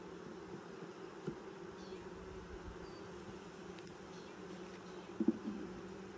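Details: Honey bee hive during its first 2020 inspection, six days after installing nucs: a constant low-pitched buzzing hum with two clear tonal layers, broken by a few light taps and a short clatter near the end.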